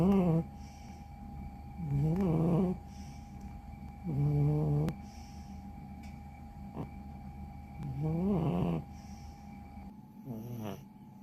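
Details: Sound asleep, a once-stray cat snores heavily, each rough, rattling breath lasting under a second and coming roughly every two seconds, with quiet pauses between.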